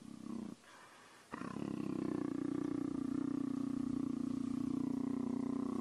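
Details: A male leopard purrs in a deep, steady rumble that pulses a few times each second while being petted.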